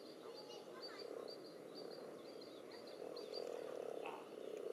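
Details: Spawning common toads crowd a pond alongside several frog species, pressing against one another in the water; a steady low croaking chorus runs throughout, overlaid by repeated thin high bird twitters.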